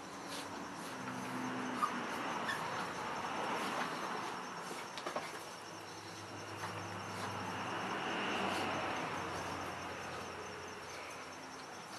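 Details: Steady broad traffic rumble with passing-vehicle swells throughout and no animal calls.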